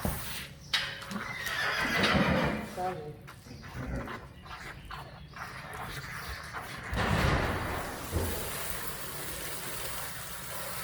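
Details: Friesian horse from a herd in the Netherlands, heard while Saly's mane is washed of smelly, sticky stuff: a loud whinny swelling around two seconds and again near seven, amid hoof clatter, handling noise and a person's voice.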